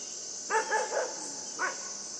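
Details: Playing with a buck, the puppy Yufie lets out a rapid triple yap followed by one more bark, sharp and high, with an insect hiss running underneath.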